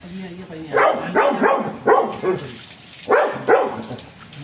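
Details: Rottweiler, described as aggressive, hyper and excited after a bath, giving a run of short, rough barks in quick bursts, about seven in four seconds, with a person talking in between.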